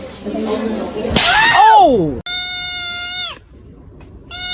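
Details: Cat in a funny cat compilation gives one arching meow that rises and falls, preceded by a burst of noise and followed by a long flat harmonic tone; speech-like murmur underneath.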